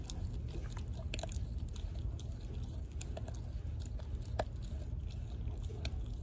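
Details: Raw turkey neck crunched by Denali, a female American Blue Bay Shepherd puppy aged four months, indoors: steady snapping bites and grinding chews, several per second, over low background rumble.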